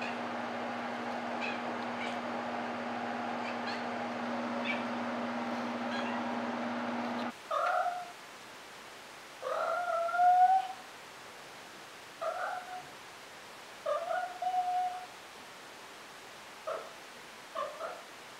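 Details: A low steady hum fills the opening seconds, then Maine Coon cat Molly gives six short, fairly low meows at uneven intervals, some drawn out and wavering.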